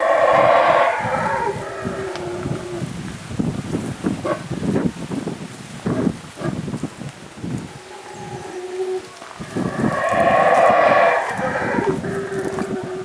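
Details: Howler monkeys at Lamanai, Belize, calling in the morning, give deep, rasping roars that swell and fade, with a crackling pause between bouts.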